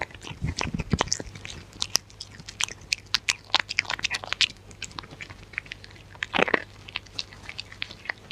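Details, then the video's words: Dog eating close to the microphone with no talking: dense crackly bites and crunches in clustered bursts, with a heavier wet chomp past the midpoint. Faint low hum beneath. "Dog Eating Sounds"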